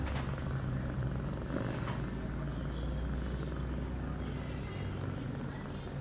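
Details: Female cat Pia, eight months old and in heat, two hours after her first contraceptive pill on September 23, 2011; a close, deep, rumbling purr holds steady throughout.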